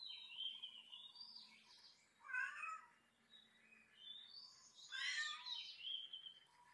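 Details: Cat meowing in a series of high, drawn-out and bending cries, some wavering, rising and falling, with a louder cluster of overlapping mews near the middle and end.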